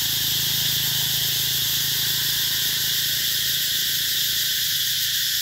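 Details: Summer cicada chorus in Mỹ Luông town, An Giang, southern Vietnam, near canals and mango gardens: an unbroken hissing, high buzz holding level, with a faint low hum underneath.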